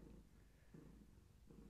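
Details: Gaia, a pregnant long-haired tabby cat carrying many kittens, purring while being held; a short stretch of low, throbbing purr with breaths pulsing under a second apart.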